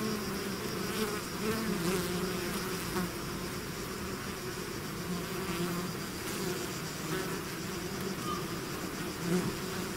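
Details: Honey-laden hive swarm? No: a bee swarm leaving its hive, constant mass buzzing with low droning bands, several closer bees rising and falling in pitch as they fly past, even loudness.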